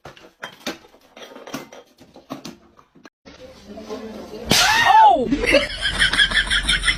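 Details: Cats fighting indoors: after several seconds of quiet talking and knocks, a loud arching screech with a rising then falling pitch bursts out, followed by harsh, noisy high-pitched yowling.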